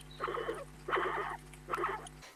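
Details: A guinea pig gives three short, rattling, chattering bursts when others stand too close and it feels unsettled. It is warning them back to give it space, a sound often heard at vegetable feeding time.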